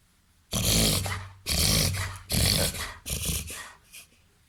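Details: Reverse sneezing in a 21-month-old, 30 kg Labrador cross mixed with golden retriever and Weimaraner pointer: four long, loud snorting inhalations, broadband and harsh, each about a second, coming in quick succession and fading toward the end.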